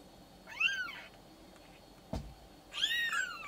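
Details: Maine Coon kitten, six days old, kept by a Tokyo breeder, gives two high, arching, wavering mews about two seconds apart, with a soft thump between them in a quiet room.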